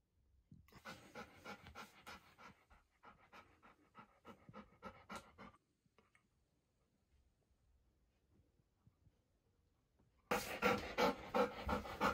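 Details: Hana, a pet Golden Retriever, eagerly gobbles a 700-piece treat reward at high speed. Rapid rhythmic panting and snuffling pulses come in two bursts, then near silence, then a sudden loud, dense burst of sound at the end.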